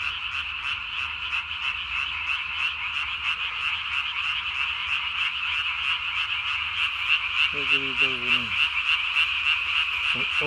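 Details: Night chorus of Japanese tree frogs recorded 3 May 2020, a calling male swelling its throat sac to body size; rapid, regular pulsed notes throughout, joined near the end by a deeper, sliding croak.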